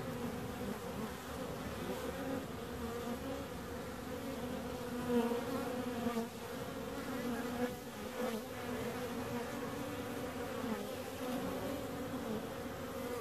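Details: Bees humming in a steady, continuous drone with low tones that hold level throughout, swelling slightly around the middle, with no other clear sounds.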